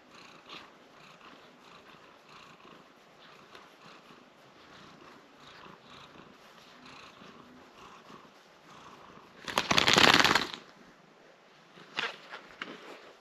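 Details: Domestic cat wearing a protective cone after a small leg injury, purring while being scratched by its owner; soft rapid pulsing purr runs steadily, broken by a loud rustling burst around ten seconds and a shorter one later.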